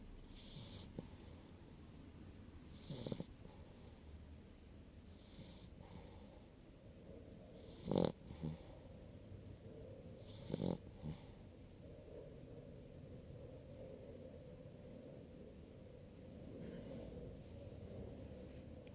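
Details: A sleeping puppy snores softly: quiet, irregular breathy snorts with a rasping, hissy edge, returning every few seconds over a low background hum.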